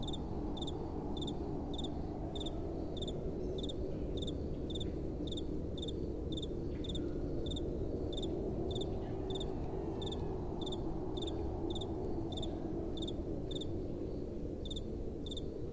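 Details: Crickets chirping through the night in a long run of regular, high-pitched pulses about twice per second, accompanied by a continuous soft wind.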